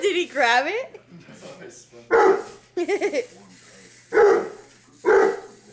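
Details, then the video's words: English mastiff Dozer, seven months old, chases a remote control buggy car through the house. Three loud, deep barks ring out spaced about a second apart, and people talk excitedly between them. "English mastiff going crazy over remote car"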